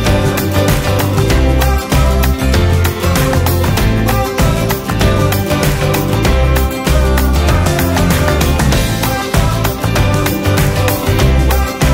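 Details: Loud, upbeat guitar-driven music with a steady rhythm fills the whole stretch, with no animal sound heard.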